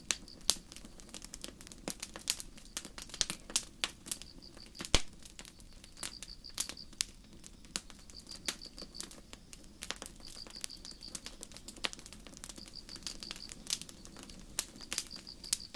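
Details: Beside a crackling campfire in a starry night forest, crickets keep up a steady high chirping, clustered pulse bursts returning every couple of seconds, often half-buried under dense pops and snaps from the fire.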